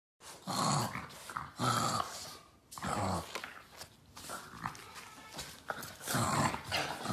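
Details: A Boston Terrier fighting with a shoe growls and snarls in rough bursts, a play-fighting grumble repeated every second or so.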